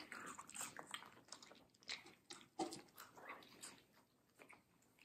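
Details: Close ASMR recording of Middle, a fluffy female Samoyed, chewing sweet, crunchy watermelon in a small room. Irregular sharp crunches and wet smacking come roughly every second, loudest near the middle, then fade to softer chewing.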